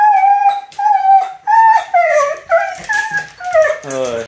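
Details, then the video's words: Indoor Siberian Husky crying in protest after being left behind by a departing person: a run of short, wavering whimpers and yelps, pitch bending up and down, ending in a strained, buzzy howl-like cry. "Husky temper tantrum"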